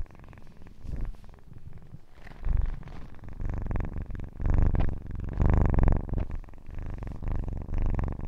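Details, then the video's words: Close-up kitten purr, a deep rumbling vibration that grows louder in waves after a quieter start, rich in low tones with faint rustling above. "АСМР 60 Минут Мурчания / ASMR Kitten Mouth Sounds / Purring"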